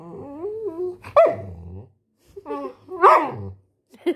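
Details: Labrador Retriever puppy making whining, squeaky vocal sounds with a wavering pitch, breaking into sharper yelp-like notes, in two bursts separated by a short pause.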